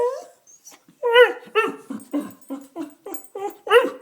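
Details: Pet dog crying indoors while begging for food, giving a run of high, wavering whines and yelps, about eight bursts in four seconds, each sliding up then down.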